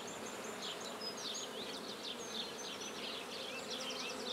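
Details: Flying black bees at a new hive in Guernay, Côtes-du-Nord, France, while a colony is installed: an even, bright whirring drone full of rapid swooping whines from bees passing near.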